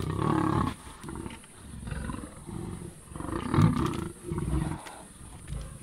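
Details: Kambula pride sub-adult lions killing a male leopard at MalaMala Game Reserve; low, fairly quiet rumbling growls and snarls in uneven bursts roughly every second.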